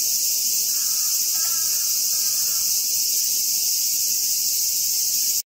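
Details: Close-range Hyalessa maculaticollis cicada singing unbothered during its meal. A continuous high, hissing drone holds steady throughout, and a brief faint wavering tonal sound appears near the start before the buzz cuts off abruptly at the end.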